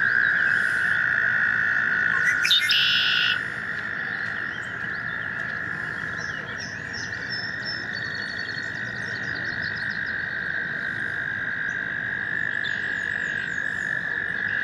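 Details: In spring, American toads gathered in a stream to breed give a long, steady, high musical trill holding one even pitch throughout.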